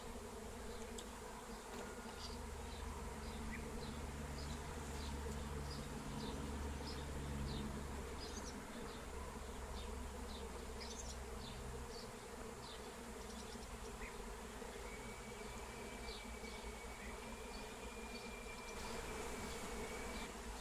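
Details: Wild honeybee swarm flying as it is caught using lemon balm. A steady rumbling drone dominates, with many faint quick chirps overhead and a long thin whistled tone in the later part.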